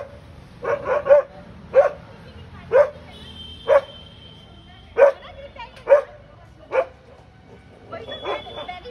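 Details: BROphy, a pet dog, barks at a cat in a real-life encounter, giving clipped, evenly loud barks about once a second, a few in quick pairs early on, over a quiet background.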